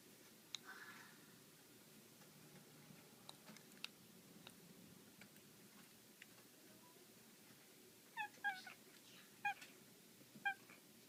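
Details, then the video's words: Black female pet cat playing with a laser at home, giving a few brief, high chirping trills near the end after a long stretch of quiet room noise and faint clicks. "My black cat Salem making funny sounds!"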